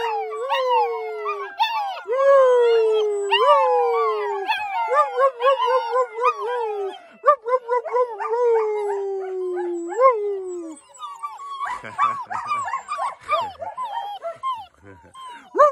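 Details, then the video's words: Several of ten black German Shepherd puppies, full after supper, howl together after their owner whistles to them, in high, wavering, overlapping cries that slide downward; not all ten join in. "Ten HOWLING baby black German Shepherd Puppies!!!"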